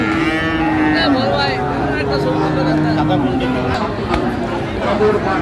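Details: Heifer calves of Friesian and cross breeds at Raniganj market in Dinajpur, 29 January 2025: two long, steady, low moos, each held over a second, above busy market talk and faint music.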